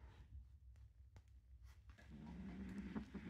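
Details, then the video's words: Foster kitten Green Beans growling while guarding his toy bunny and refusing to share: a low rumbling growl that swells in the second half, with faint background noise indoors. "Growling kitten won't share his toy"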